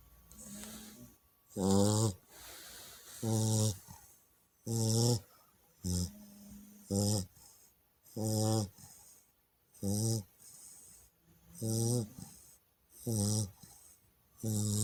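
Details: Chow Chow puppy asleep, snoring loudly: deep rasping snores roughly every one and a half seconds, each a short rumbling burst, with quieter breaths between.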